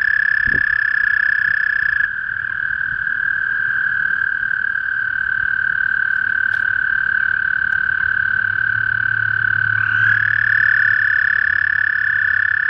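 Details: Male toad calling in spring, a continuous high buzzing trill held at one pitch throughout, with a second overlapping trill starting near the end and a soft low hum in the background.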